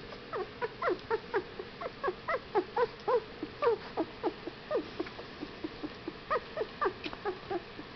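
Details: Fifteen-day-old Whippet puppies squeaking steadily, a busy chorus of short falling chirps about four per second, some louder whines mixed among softer peeps, with no other sounds.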